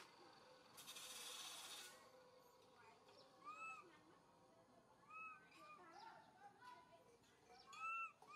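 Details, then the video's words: Baby monkey MoMo calling for its mother Malika in a park: scattered arched, whistle-like cooing calls rising then falling, repeated irregularly, with a burst of hissing noise early on and faint background chatter. "Little MoMo try calling mom Malika in the Park"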